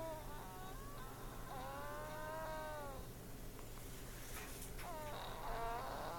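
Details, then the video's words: Butter, a sleeping pet cat, snoring: drawn-out whistling, harmonic nasal tones, each lasting one to one and a half seconds, recur about every three seconds over a steady low indoor hum. "Butter the Snoring Snorlax Kitty."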